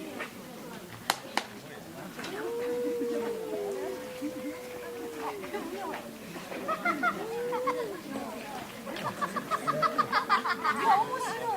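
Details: Household cats in a quarrel trade sustained, arching moans that swell and fade over two to three seconds, followed by a burst of rapid, irregular clicks and scratchy noises.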